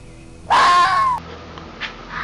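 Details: Red fox screaming: a single loud, harsh scream lasting under a second, starting with a sharp rise, holding a strained, slightly falling tone with rich harmonics, then cutting off into a quiet background.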